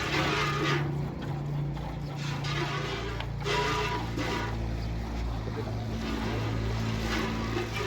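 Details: Constant engine noise with some background speech and music, and no animal sound heard.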